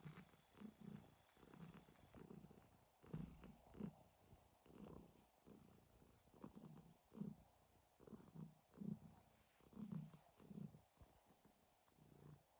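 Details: Domestic cat purring and snoring, heard as soft low rumbling pulses in bursts roughly every second, with quiet pauses between breaths.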